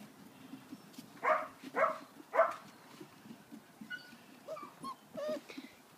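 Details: Puppies running about indoors: three short, harsh yelps in quick succession, followed by several thin, squeaky whines, each rising then falling, over a soft pattering of paws.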